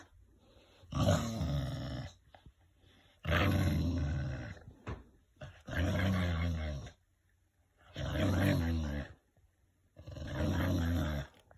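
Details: Winston, a pet English bulldog, growling like a V-8 engine: five long, deep rumbling growls of one to two seconds each, coming every two to three seconds with short quiet gaps between.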